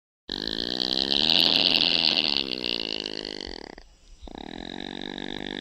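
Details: An opossum snoring: a continuous raspy, buzzing drone with fast rough pulsing that swells loud for a few seconds, breaks off briefly near the end, then resumes at a lower level.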